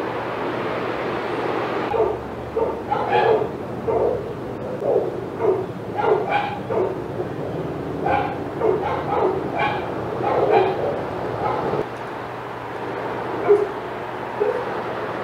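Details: Senior dogs in an outdoor yard at a sanctuary barking excitedly as another dog passes, a run of irregular rough barks and yips, several dogs overlapping, over steady low background hum.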